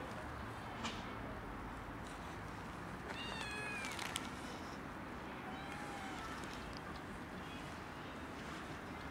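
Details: Mother cat with two tiny kittens, protecting them from a dog; one clear, drawn-out harmonic meow stands out midway, with fainter mews before and after against constant hiss.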